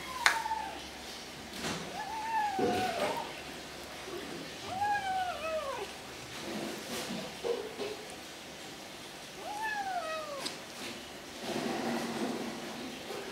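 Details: Kitten eating and making snuggle noises: short arched whines rising then falling, repeated every few seconds, between loud clicks of chewing and bowl noise, with a person murmuring.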